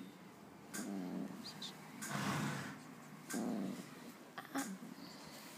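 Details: Female Rhodesian Ridgeback asleep and dreaming, giving soft, muffled growls and grumbles in three uneven bursts, with faint clicks and rustling between them.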